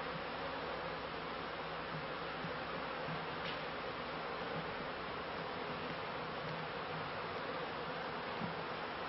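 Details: Honey bees kept by a beekeeper at the end of the 1995 season, giving a steady broadband buzzing hum with a faint low drone beneath and no clear breaks.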